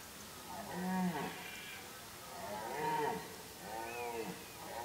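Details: Red deer during the rut, when deer activity is at its peak: three drawn-out, moaning calls with rising then falling tone, each about a second long and spaced roughly two seconds apart, over quiet outdoor background.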